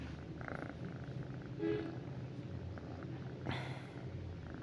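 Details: At night a house cat lies with its owner, purring as a continuous low rumble, with short rustling bursts and a brief faint tonal squeak partway through.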